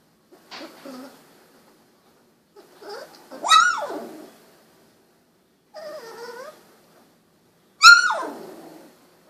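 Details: Golden Retriever puppies at 16 days old, eyes newly open, crying out: high rising-then-falling yelps and whines, the two loudest sharp squeals at about four and eight seconds, with softer wavering whimpers between and silence around them.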